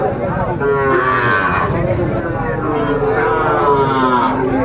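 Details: Sahiwal bull calves for sale at a Chattogram cattle market in Bangladesh, 13 December 2024. Long, steady, resonant mooing runs through most of the stretch, overlapping with a murmur of market voices.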